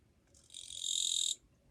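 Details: Single katydid song phrase, recorded 2 July 2023 and described as rather quiet: a dry, buzzing rasp that swells over half a second, holds steady, then cuts off abruptly after about a second.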